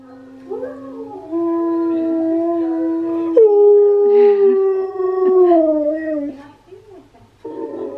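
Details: Husky singing: Steel the Husky's long, sustained howls, one steady tone stepping up to a higher, slowly falling note, while Key the husky reacts with head tilts; faint background music.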